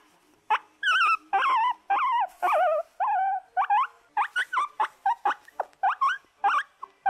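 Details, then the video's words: Squeaking from pet guinea pigs: dense chains of wavering, bent squeals, some long and warbling, others short and clipped, coming faster toward the end in an irregular, excited stream. "Guinea Pigs Sounds and Noises"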